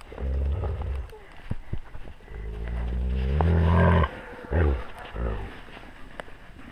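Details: Wolf pack recorded close up on a GoPro at wolf level: deep, throaty growling that builds to a sustained, loud rumble around the middle, then breaks into shorter grunting bursts among scattered clicks and handling noise.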